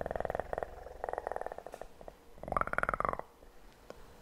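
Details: Purring kitten heard in rhythmic rumbling bursts, each lasting under a second with short pauses between. A louder, slightly rising swell comes near the end, then fades into quiet tapping.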